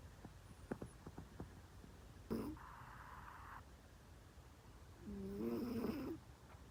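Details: Loudly snoring cat: two drawn-out, rough, voiced snores several seconds apart, the second longer and wavering, over a quiet room with faint ticking noises.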